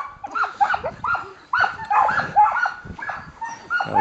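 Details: Samoyeds hitched to a dryland cart on a freezing, windy January day, impatient before setting off; scattered yips, whines and barks from several dogs mixed with a man's voice.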